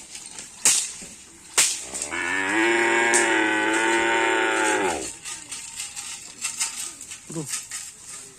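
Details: Cattle at karapan sapi bull racing practice on the Asemanis field in Pamekasan. One long, steady, low moo holds for about three seconds, following two sharp knocks, with faint voices and scattered clatter afterwards.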